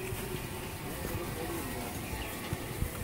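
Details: Dense broadband rushing noise with low rumbling thumps, like traffic or machinery, and no clear animal call.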